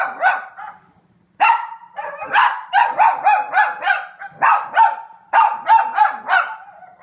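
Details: Aliyah, a Cavalier King Charles Spaniel, barks at dogs on the TV: a brief burst, a pause, then a run of sharp, yappy barks repeated about once a second with whiny overtones.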